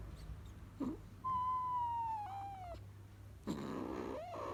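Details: A male kitten utters a sustained, tonal mew, steady at first, then falling, dipping and breaking near its end. A brief rustling thump and a short, fainter squeak follow.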